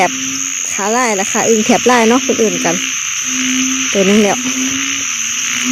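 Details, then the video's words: Frogs known locally as อึ่งเผ่า and อึ่งยาง, at a busy site with many people. Harmonic rising-and-falling croaks overlap in quick clusters above a steady droning tone, with a woman speaking Thai before and after. "อึ่งเผ่า อึ่งยาง"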